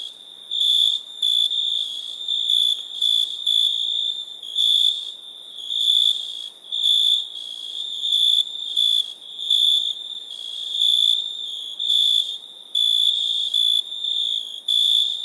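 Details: Crickets at night in India make a constant high-pitched ringing with rhythmic louder pulsed bursts repeating every second or so. Layered insect trilling fills the background.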